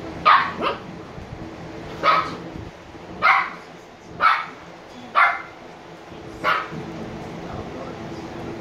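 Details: Two 86-day-old Shiba Inu puppies, Niro and Kyno, sleepy, bark six times in a loose, fairly even rhythm of roughly one sharp, high yip per second, over a soft steady hum.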